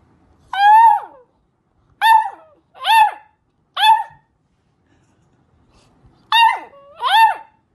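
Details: Puppies howling for the first time: six short, clear, harmonic howls, each swelling upward then sliding down, about half a second to a second long, set in two bursts with quiet gaps between.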